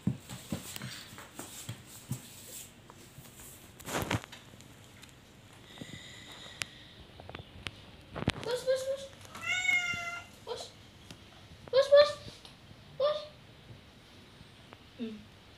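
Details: Domestic cat in a small room: scattered knocks and handling noise, then several short rising meows in quick succession, overlapped by people talking nearby.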